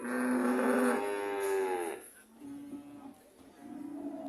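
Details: A cow gives a loud, rich, nasal moo lasting about two seconds that rises slightly and then breaks off, followed by softer, lower lowing calls.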